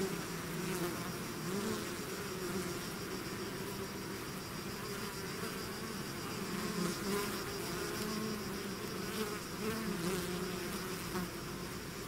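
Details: A swarm of bees leaving the hive makes a constant droning buzz, individual insects sliding up and down in pitch as they fly past, forming wavy tones over a dense wingbeat bed.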